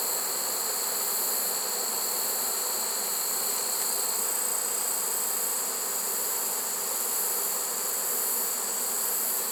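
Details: Trapped honey bee swarm, caught unexpectedly late in the season in September 2019; a continuous droning hum that swells slightly and fades over several seconds, with a high whining hiss throughout.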